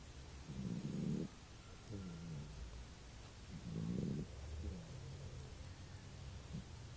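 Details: Sleeping pet named Buba snoring, with low rough snores about every one and a half seconds, each breath in and out forming a grating rumble, in a quiet room.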